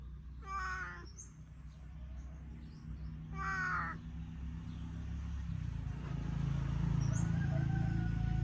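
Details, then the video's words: A talkative pet cat meows twice, each call a brief harmonic wail about three seconds apart, over a steady low rumbling hum that grows louder toward the end, with faint chirps above. "เลี้ยงแมวร้อง เลียงแมวน่ารัก แมวร้องเก่ง"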